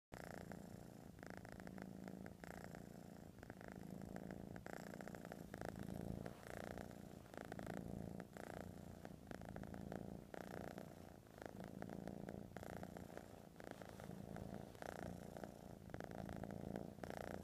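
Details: Domestic cat purring close up: a low, steady rumbling purr pulsing in long rhythmic cycles with each breath in and out, soft and continuous, in a quiet setting.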